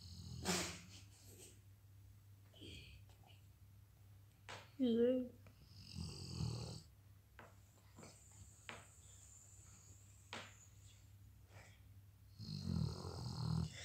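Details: A Weimaraner sleeping at home snores in rough, breathy rasps spaced several seconds apart.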